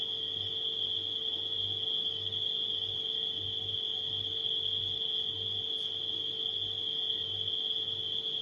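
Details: Continuous shrill trilling of night crickets at an unchanging high pitch, set against the low, evenly pulsing drone of a household refrigerator.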